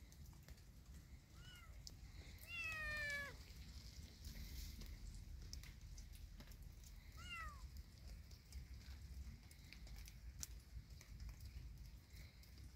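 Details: Kitten walking in a yard in rainy weather: three rising-then-falling meows, a soft short one, a long strong drawn-out one near the middle, and a brief one later, over a steady low background hiss.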